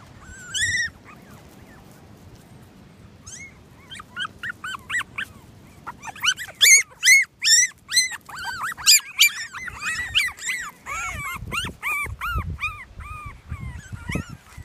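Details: Litter of toy Australian Shepherd puppies crying together: a quiet start with a few isolated squeals, then a dense run of high, arching whimpers and yelps that rise and fall, overlapping and repeated rapidly, fading to softer whines.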